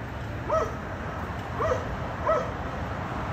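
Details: Dogs at a condominium barking, a daily disturbance for neighbours; three short, clear barks spaced about a second apart against steady low urban hum.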